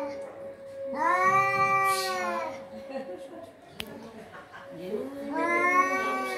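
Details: A cat giving two long, drawn-out meows, rich and harmonic, the first swelling and lasting over a second, the second rising in pitch after a pause, with a steady faint hum underneath.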